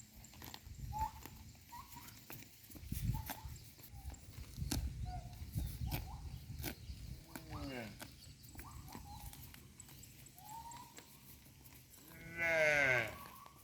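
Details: A herd of cows grazing in a pasture makes sharp tearing and crunching bites of grass over a low rumble.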